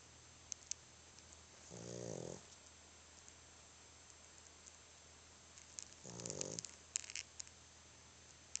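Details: A sleeping male dog, so tired that he snores: two short, buzzy, harmonic snorts about four seconds apart over a steady low hum, with faint clicks near the end.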